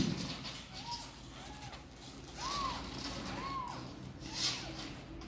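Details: Kittens Sor and Kapov, apparently wanting out to play, make about five soft arched meows, rising then falling, spaced roughly a second apart over a low droning background.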